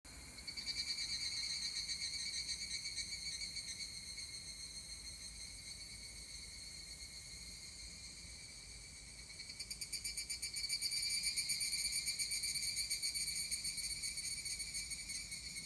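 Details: Higurashi cicada calling at 19:19 on Friday, 17 July 2020, in Kotani, Mashiki Town: a sustained, high, ringing metallic trill with rapid pulsing. A second, stronger burst joins around ten seconds in, amid quiet background hiss.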